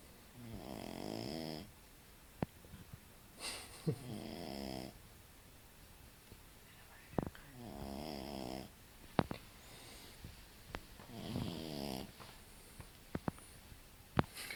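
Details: Kora, a French Bulldog about six months old, snores while sleeping soundly; four rhythmic buzzy snores, each about a second long, come every three to four seconds, with sharp clicks and small noises between.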